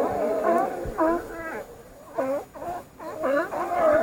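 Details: Several sea lions give overlapping wavering, moaning calls with rich harmonics, rising and falling in pitch. A brief quieter gap near the middle is followed by more closely spaced calls.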